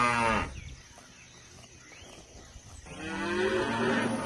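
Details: {'caption': 'Cow lowing: a moo cut off in its first half second, a quiet gap, then another rising harmonic moo building toward the end.'}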